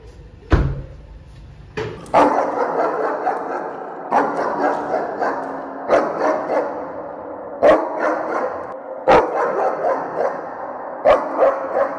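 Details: German Shepherd greeting its owner as he arrives home: loud, sharp barks every one to two seconds with excited, noisy whining between them, and faint music in the background.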